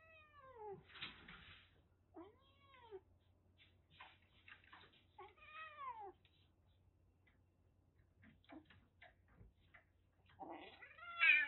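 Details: Aki, a rescued calico kitten about one and a half months old, taken in at Kagoshima, Japan, just before a typhoon, threatening indoors: breathy hissing bursts mixed with high, falling, whiny mews, a loud rising cry at the end, steady low hum.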